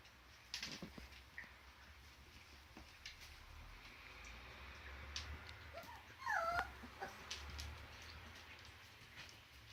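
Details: Whimpering from Border Collie puppies: one brief curving whine that slides up then down near the middle, with scattered soft taps and low background hum around it.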